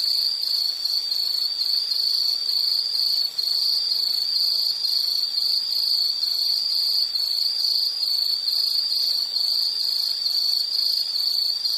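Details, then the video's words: Insect chorus, steady high chirping band with pulsed trills running continuously, a fainter higher layer above, no other clear sounds. "Nature Sound of nature sounds scenery L · insect"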